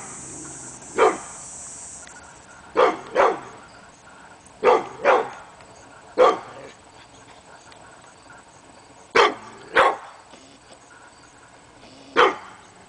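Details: Hemi Bleu the pit bull barks at nothing one morning, August 22, 2012; loud barks delivered singly and in doubles with pauses of one to three seconds, a brief high hiss at the start.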